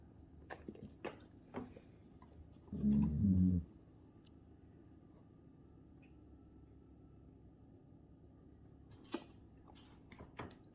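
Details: A Golden Retriever gives a single low, rumbling grunt of contentment, a happy noise after getting a tasty treat, in a quiet room.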